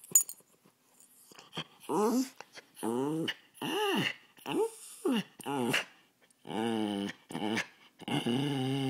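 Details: A poodle named Tasha voices a series of arched, moaning whines, each rising then falling in pitch, about one every half second to second, with breathy clicks between bursts.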